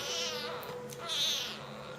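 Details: Jungle cat kitten being fed makes two breathy, hissing bursts about a second apart, the second louder, with a faint tonal hum underneath.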